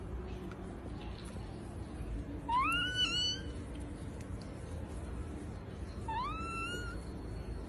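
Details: A Persian cat gives two meows about three and a half seconds apart, each a clear wail that rises and then levels off, heard over a steady low background hum.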